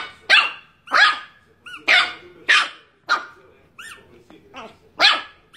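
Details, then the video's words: Angry pet Chihuahua Niki barks over and over, shrill, clipped yaps about every two-thirds of a second, some with a rising squeaky edge, in a steady, agitated run. "The most Angry Chihuahua in the world"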